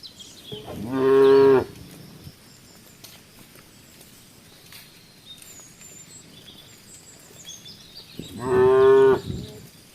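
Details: Tame cows walking around Embooh village; two loud harmonic moos, each about a second long, the first near the start and the second near the end, with quiet rural background between.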